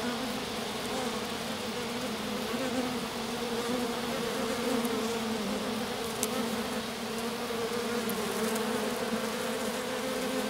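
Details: Honey bees in a little swarm resting in grass beside their lone queen after the colony swarmed; continuous low droning hum with a slight wavering in pitch, a few faint ticks over it.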